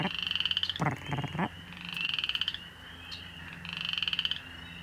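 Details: In a wild wetland pond, a calling male boreal chorus frog gives comb-like rasping pulse trains, 'grrrt', three bursts across the clip, with a brief lower croak from another frog early on.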